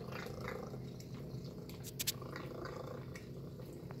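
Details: Tacy the cat at breakfast, eating chicken and beef: an even purring drone underlies scattered chewing clicks, with a brief sharp clink near the middle.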